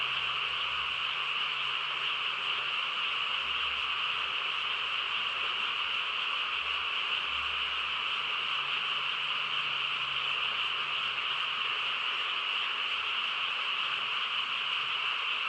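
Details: Countryside frogs at night fill the air with a thick, constant chorus of massed croaking trills, steady in pitch and loudness throughout, nothing else standing out.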